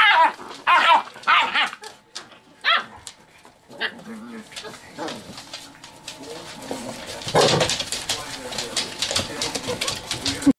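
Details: Several chocolate Labrador puppies aged seven weeks romping in play; sharp yelping barks open in quick bursts, then softer growls and grunts, followed by a long stretch of scuffling noise and some human speech.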